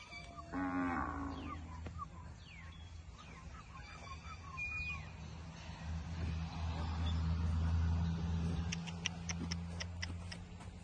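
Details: Guzerat cattle among dairy cows in a field in El Salvador. A long, deep, steady moo swells and holds for about three seconds midway. Shorter sounds come earlier, and a run of sharp clicking ticks follows near the end.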